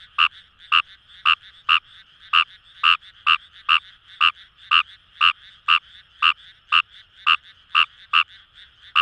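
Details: Fejervarya kawamurai in paddy fields at the Kamo River, Itoshima, Fukuoka Prefecture, Japan, croaking rapidly, about two harsh clicks per second in uneven bursts, backed by a dense humming chorus of distant frogs.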